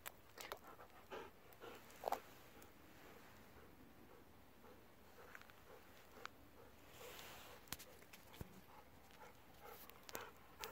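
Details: Golden Retriever siblings Kohaku and Ibuki, a sister and brother aged 10 and 9, playing together at night after a long day of play. Short breathy bursts, irregularly spaced, with scattered clicks and thumps over quiet background hiss.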